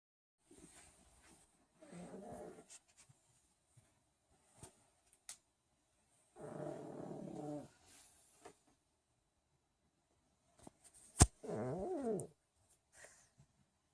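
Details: Male pug sleeping in late indoors, snoring in three low rasping bursts of about a second each, near 2, 7 and 12 seconds, with quiet pauses between and a sharp click just before the last snore.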